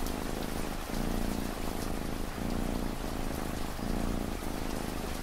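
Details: Cat purring under steady ambient rain: a low rumbling purr in pulses of roughly a second and a half, each separated by a short breath pause, while hissing rainfall fills the background.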